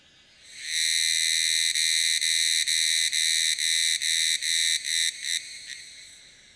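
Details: Unidentified Tanna cicadas calling together as a group in Taitung, Taiwan, at 1000 m elevation, recorded on a Sony A7s3 with a Rode Videomic NTG. A bright, ringing, tonal drone swells in, then breaks into short segments with quickening gaps before fading.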